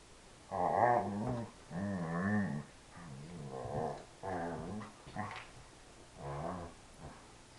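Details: Doberman at play in a small room, uttering a series of groaning, moo-like calls, six wavering harmonic moans of roughly a second each with brief pauses between them.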